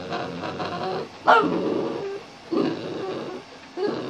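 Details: A male Boston Terrier gives a short, wavering howl that swoops up and down, coaxed by his owner to sing for a treat while showing off tricks.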